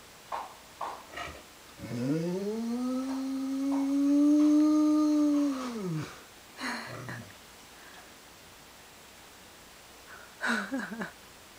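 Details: Gino, a dog, lets out one drawn-out tonal howl lasting about four seconds, swelling in the middle and falling away at the end, with short yips and snorts before and after.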